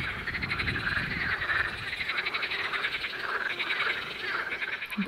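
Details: In spring at a small pond, a dense chorus of common water frogs and pool frogs gives rapid rattling croaks, with males in two groups on opposite sides calling to lure females.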